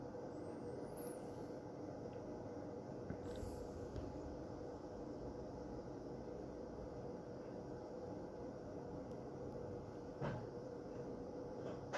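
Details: Only a steady low rumble of vehicle or engine noise is heard, with no animal voices. A few faint clicks and knocks break the drone.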